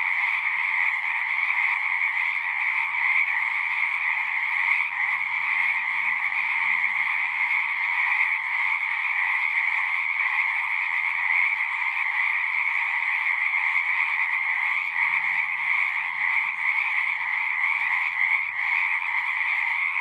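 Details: Frogs calling from a pond in a horse pasture, Zoom recorder: a constant dense trilling chorus at two pitch levels, with faint low murmuring sounds rising beneath it twice, early and again past midway.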